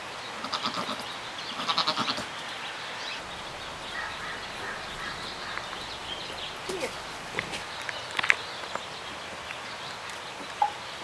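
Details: Newborn pygmy goats give short, nasal bleats while doing a "happy dance," with scattered knocks and clatter between them.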